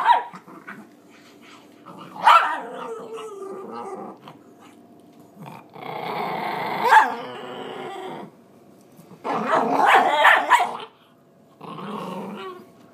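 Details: Small female pinscher, described as very angry and greedy, guarding her food and unwilling to share: bursts of snarling growls rising into sharp barks, in four noisy outbursts separated by short quieter pauses, indoors.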